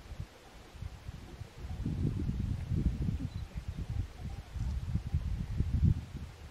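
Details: Fallow deer during the rut (ronca) in the Sierra del Sueve, Asturias: low, deep, pulsing groans in two bursts, the first around two seconds in and a longer run near the end, over faint rustling.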